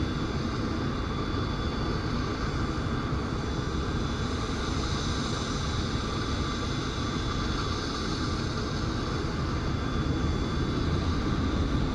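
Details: A steady, loud engine-like drone runs throughout with no animal sound heard.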